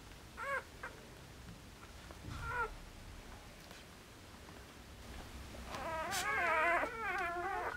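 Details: Border Collie puppies, four days old, from one litter; faint squeaks early, then a burst of high, wavering, repeated whining cries near the end over quiet indoor background.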